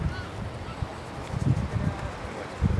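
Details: Galápagos sea lion on land, waddling along the beach of Española Island; short, low, rough grunting bursts near the middle and end of the stretch, over a steady low rumble.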